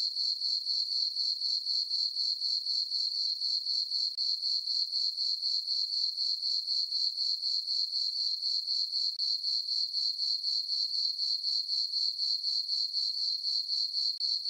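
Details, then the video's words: Crickets chirping on a peaceful summer night in a farm meadow under a full moon: a steady high-pitched shrill trill pulsing about four times a second, unbroken and very regular, with no other sounds. "Cricket chirping sounds"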